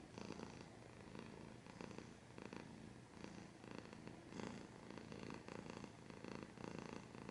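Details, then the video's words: Cat purring at close range, a continuous low buzzing rumble pulsing in breath-length waves of under a second, inhale and exhale phases alternating evenly, no other sounds. "Cat's purring / scratching / kinda ASMR"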